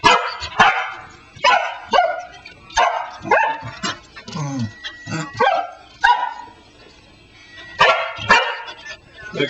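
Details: Female Pembroke Welsh Corgi indoors barking at a cell phone on the floor after listening to her owner's voice through it: about ten sharp, rough barks in bursts, some in quick pairs, with a person speaking in the background.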